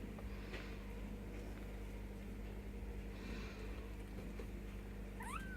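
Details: Bengal kittens, ten days old, with their mother Mischief Maker indoors; near the end a single short, rising, tonal mew breaks out over a steady low mechanical hum.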